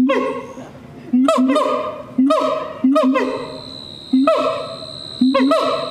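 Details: Siamang at night producing regular loud honks about once a second, each starting sharply and trailing off, while a steady high insect-like whine runs through the second half.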